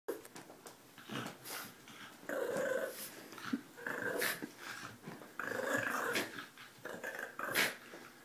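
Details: A dog guarding his bone growls in rough, rumbling bursts of about a second each, coming irregularly with short breathy pauses between them.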